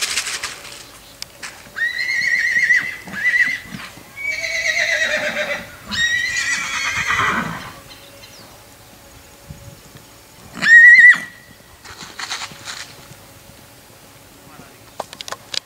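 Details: Black Lusitano mare galloping at a stud farm: long high whinnies with quavering descending tails, several in sequence, then a short sharp neigh near the end, with faint hoof and background noise between calls.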